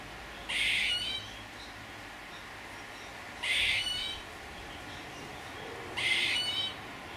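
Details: Three loud raspy, noisy bursts from a squirrel, each lasting about half a second and repeated roughly every three seconds, with faint background hiss between them.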